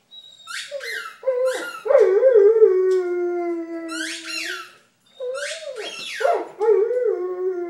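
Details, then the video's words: Six-year-old male Vizsla named Buddy, newly adopted in September 2012, sings along to squeaky tennis balls: sustained, slightly sliding howls with strong overtones, twice interrupted by sharp bursts of toy squeaks and a brief pause. "Buddy The Vizsla Sings and Plays the Blues!"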